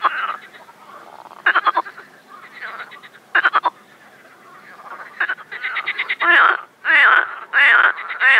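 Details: Frogs singing during mating in an overgrown pond, Shchelkovsky district, Moscow region, Russia, on a warm sunny spring day, May 25, 2021: quiet stretches broken by bursts of rapid pulsed croaks, then loud rolling croaks packed close together near the end.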